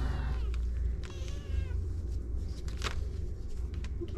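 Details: Kittens mewing: a few short, high harmonic meows with wavering, slightly falling pitch near the start and around one second, over steady low rumbling background noise and scattered clicks.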